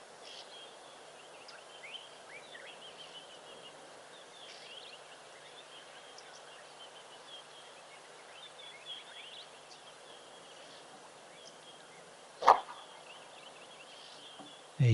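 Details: An impala gives a single sharp, bark-like alarm snort as a predator approaches, above a quiet background of soft bird chirps.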